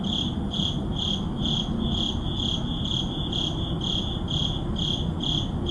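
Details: Midnight crickets in an urban neighborhood, Sony a7CII and ECM-M1 recording: a regular train of bright, high-pitched chirps, about two each second, with a continuous low background drone of the city.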